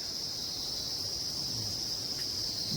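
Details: Crickets in forest along a roadside at night in Niti valley, Uttarakhand Himalayas, keep up a steady, high-pitched shrill trill without a break, said to call non-stop all day.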